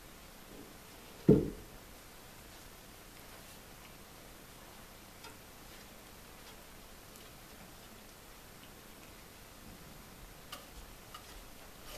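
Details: A quiet indoor room with faint steady hiss, one sharp knock or click near the start and a softer tap later, no animal voices.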